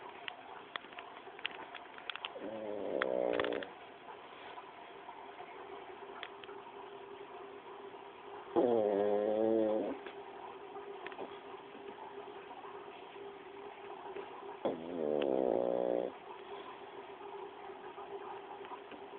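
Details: Paco the pug snores rhythmically: three loud, gravelly snores about six seconds apart, each a buzzing harmonic rasp of about a second, with soft clicks and a continuous low hum between breaths.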